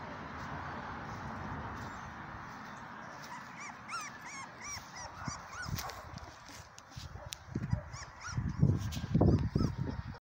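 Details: Three-week-old dark sable German Shepherd puppies. Thin, high squeaky whimpers rise and fall in a quick cluster midway, over a steady low rumbling background, with louder low thumps and snuffling toward the end.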